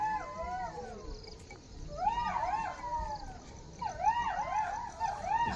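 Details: Jackals calling around a railway station in an eerie setting, where jackals were also seen: wavering, quavering howls rising and falling in bursts, several voices overlapping, with pauses between choruses and faint background hum.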